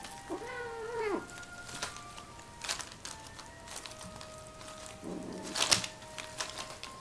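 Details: Momo and Momiji, two newly arrived kittens at the Nekomanma cat cafe, in their second fight inside the cafe; a drawn-out, wavering yowl opens, later a low, rough growl, over a steady tonal hum.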